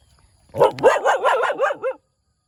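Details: Cute little puppy barking in the morning, letting out a fast run of about seven high, yappy barks packed into one and a half seconds, then falling silent.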